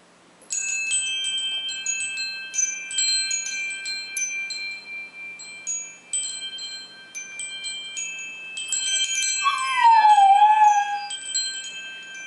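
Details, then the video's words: Polo, a dog that sings along with wind chimes, howls beneath bright, ringing chime tones. Near the end a single wavering howl of about two seconds slides downward in pitch while the chimes keep sounding. "Dog singing to chimes."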